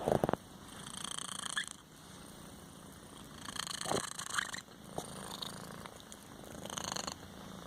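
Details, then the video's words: A kitten between snoring and purring, a steady low rumbling purr that swells and fades in slow cycles, with brief louder breaths around the fourth and seventh seconds and a faint constant hiss behind. "kittien snoring"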